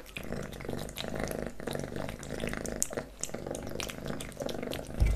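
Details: Pet kitten Leo eating wet pate and creamy cat treats up close: muffled, soft licking and chewing clicks with less crispness, over a strong low steady hum, ending with a sharp knock.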